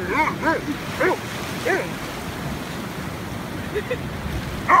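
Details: Afghan hound named Boomboom on the beach, not impressed, giving a run of short high yips and barks, about six in the first two seconds, then a pause, a couple of softer ones and a final sharp bark, with surf hissing throughout.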